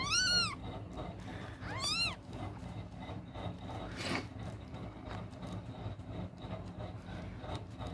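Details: Newborn kitten, one of three with eyes still closed, crying while searching for its mother's milk at night; two loud arched mews in the first two seconds, then only low rumbling background noise.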